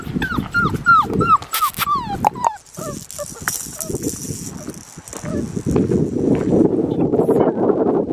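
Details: Blue merle male Australian Shepherd puppy from a registered breeding program in Oklahoma, whining in high, thin whimpers that fall in pitch, repeated about twice a second for over two seconds, then a woman talking softly and cooing to him.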